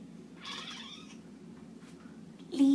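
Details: Indoor cat said to be singing lets out a single drawn-out meow with a falling tail, followed by a low hum and a sudden loud sound at the very end.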